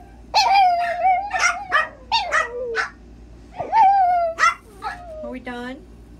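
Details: Chihuahua channelling his inner wolf, howling in a run of short, wavering, high tonal howls. Each swells and then slides downward, coming in bursts of several over about six seconds above a faint steady low hum.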